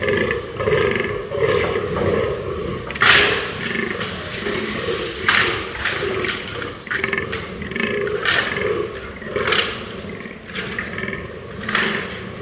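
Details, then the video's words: Fallow deer giving rough, guttural groans, repeated roughly every two seconds, mixed with sharp clicks or snaps in the background. "ALAGEYİK SESİ - Fallow Deer SOUND"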